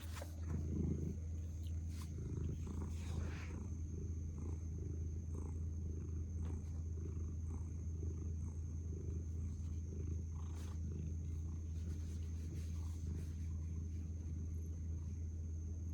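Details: Domestic cat purring while burrowed face-down: a continuous low rumbling purr, pulsing with slow breaths and some rustling near the start, over a steady faint high whine.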